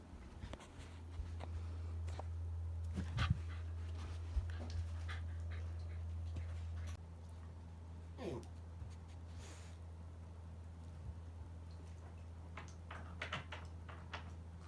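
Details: Shiba Inu dog indoors after a bath, being dried off; soft rapid panting runs through, with brief whimpers, a few sharp clicks and thumps, and a woman's voice telling the dog to move over.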